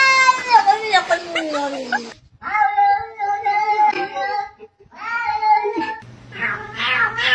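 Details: Cat knocking on doors: loud, drawn-out meows, one long cry falling in pitch, then wavering, nasal wails with brief gaps between them and a low hum at the end.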